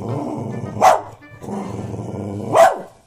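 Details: Pet husky barking to wake its owner, who stays in bed and scolds it; two sharp, loud barks about 1.7 seconds apart over steady background music.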